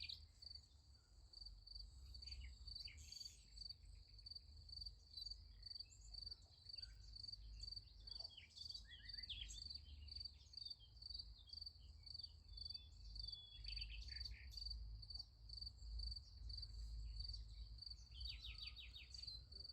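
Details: Crickets at night beside a sunflower field: a steady high shrill chirping runs throughout, with scattered short bird notes and trills over a low rumble of background noise.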